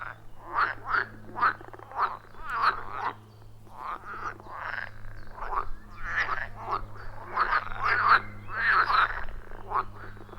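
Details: Wild frogs calling in a loud chorus around a forest pond, recorded with an iPhone 14 Pro and Shure MV88+: rhythmic, gravelly croaks pulsing in quick bursts, several overlapping, with a steady low hum beneath.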